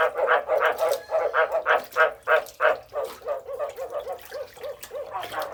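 Frogs calling with short, bark-like croaks repeated about three times a second.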